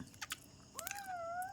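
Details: Pet kitten at home while eating: two quick chewing clicks, then a drawn-out high meow that dips slightly and lifts again, still sounding when it cuts off.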